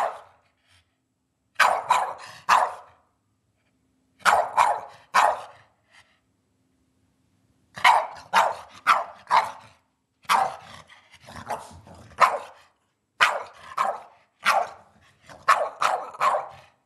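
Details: Nightly dinner-time barking from Eddie, a pet dog: clusters of two to four sharp barks separated by brief silences, growing busier toward the end.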